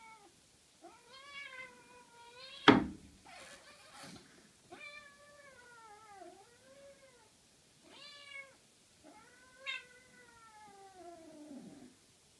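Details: During play between a Norwegian Forest cat and a 13-week-old Ragdoll kitten, five long, plaintive meows sound, several dipping in pitch midway before rising again, broken by one sharp knock early on; otherwise a quiet indoor background.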